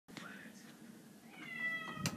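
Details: Grey and white domestic cat, hostile toward an orange tabby that visits, gives a short faint mewing note and then a drawn-out, harmonic meow that holds steady before ending in a sharp knock.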